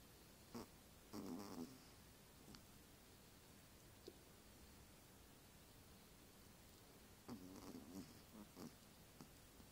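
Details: Pet dog asleep under a white blanket, snoring: two rough, low rattling bursts about six seconds apart, each lasting around half a second to a second, in a quiet indoor room with faint clicks between.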